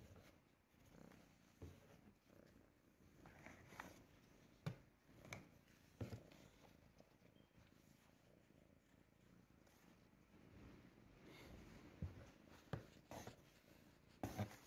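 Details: Ginger cat purring while being brushed with a new hair brush indoors inside a box; a steady low rumbling purr runs throughout, broken by scattered clicks and rustles from the brush and box.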